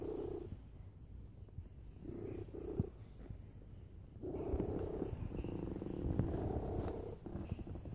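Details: Domestic cat lying down and purring very loudly, a steady rumbling purr broken into long pulses with brief pauses between breaths, low buzzing throughout the whole recording.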